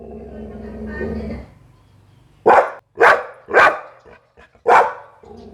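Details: Low murmuring background first, then a Pit Bull gives four loud, harsh barks in an uneven rhythm, with a couple of soft short sounds between them.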